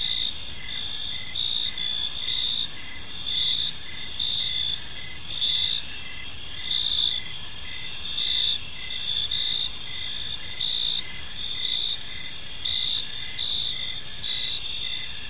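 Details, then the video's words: Crickets chirping as evening falls over a serene park: many high trilling voices blend into a steady chorus, with rhythmic short chirps repeating throughout and quiet distant rumble below. "Cricket Sounds in a Peaceful Park"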